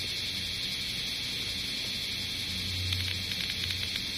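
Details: Summer 2010 in Osaka city, where bear cicadas make a continuous high sizzling drone at moderate loudness. A low hum and faint rumble lie beneath, and brief ticking accents come in toward the end.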